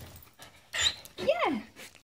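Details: Samoyed named Heidi, a female aged 2 years and 3 months, answers indoors when asked if she wants to go for a walk: a short human phrase, then one drawn-out whine that climbs and slides back down.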